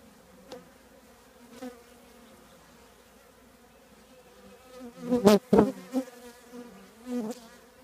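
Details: Honey bees from a colony nesting in an old trash can: a quiet background hum broken by loud close fly-by buzzes, strongest in a burst at five to six seconds, with another pass near seven seconds.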